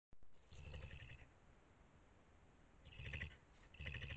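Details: Angry badger making a peculiar noise at another badger hiding behind a fence: three bursts of harsh, rasping calls with a low rumbling base and shrill upper tones, near 0.5 to 1.2 seconds, around 3 seconds and near 4 seconds.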